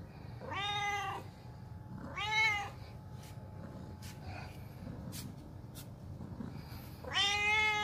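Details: Domestic cat meowing because it does not want to be left behind: three drawn-out, harmonic-rich meows, near the start, around two seconds and at the end, with faint clicks and a low indoor hum between them.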